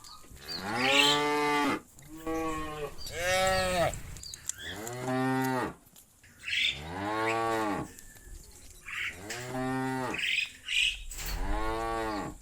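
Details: Cows out in the pasture moo to call the rest of the herd back to the barn. A steady series of about seven deep, arching moos, each roughly a second long, follows in close succession.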